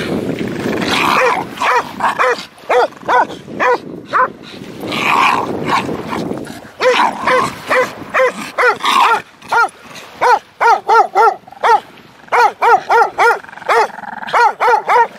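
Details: Zen, a Staffordshire Bull Terrier, digging for his stick at the beach, gives a rapid run of short, high, tonal yips and whines, roughly every half second, with people's encouraging voices and some music underneath.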